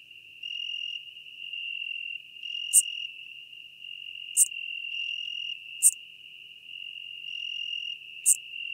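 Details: Near Venezia, Italy, on 2 September 2021, a Schmidt's marbled bush-cricket gives four short, piercing high chirps spaced one to two seconds apart over an unbroken shrill insect drone.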